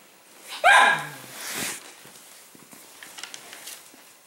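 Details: A male Cavalier King Charles Spaniel at dinner time gives a short, high whine dropping in pitch, then a softer breathy bark, complaining at his bowl until his food is poured on the floor; quiet clicks and room noises follow.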